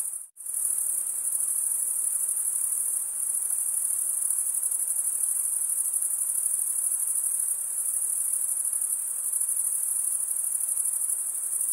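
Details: Crickets chirping by stridulation, males drawing one wing over the comb-like teeth of the other; after a brief dropout at the very start, a constant high shrill trill carries on steadily.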